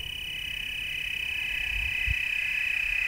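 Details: Chorusing tree crickets in the Willamette Valley, Oregon, several overlapping high trills blending into a slightly wavering band that grows louder, with a couple of dull low thumps near the two-second mark.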